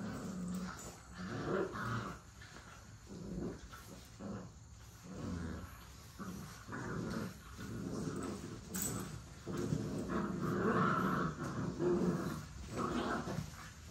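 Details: Play-fighting puppies growl continuously, with gruff bursts roughly once a second that swell and fade over fourteen seconds. Scuffling and an occasional higher yelp are mixed in.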